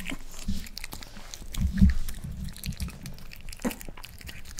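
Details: Indoor eating sounds of a Miniature Pinscher named Rafa trying boiled egg for the first time: scattered crisp bites and wet chewing clicks, with one louder thud-like bite near the middle, over a low background hum.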